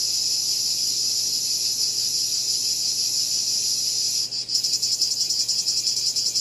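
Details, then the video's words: Cicadas produce a constant high buzzing drone that briefly dips near the four-second mark, then resumes as a rapidly pulsing, throbbing buzz. "Cicada Called || ឪរៃអើយរៃយំ"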